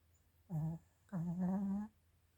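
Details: Chiroru, a female Mal-Shi (Maltese father, Shih Tzu mother) born 22 July 2017, snoring indoors in December 2023: two voiced, humming snores, a short one and then a longer steady one about a second long, in a quiet room.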